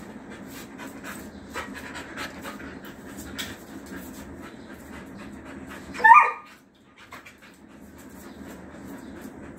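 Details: Female Rottweiler in a playful mood: faint panting and rustling, then a single short, sharp yelp with bright harmonics about six seconds in, followed by a brief near-silence.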